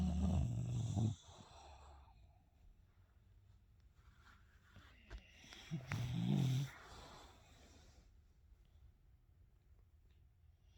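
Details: Two English Bulldog brothers sleep together and snore loudly, with deep, rumbling breaths that rattle in bursts. One later had throat surgery to help his breathing.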